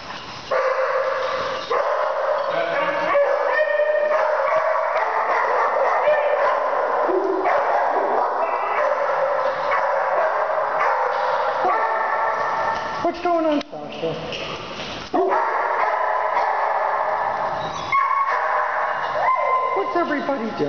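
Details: Large-breed pet dogs, among them Bear and Sasha, give high whining yips and tonal cries that rise and fall nearly nonstop, while a woman talks to them affectionately.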